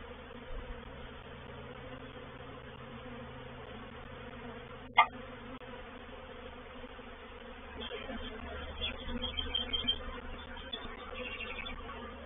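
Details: Honey bee reproductive swarm at a bait hive, Painted Peacock Manor, 04/07/21. A softer hum broken by one sharp click, then the buzzing grows louder and more uneven, with close, fluttering wingbeats.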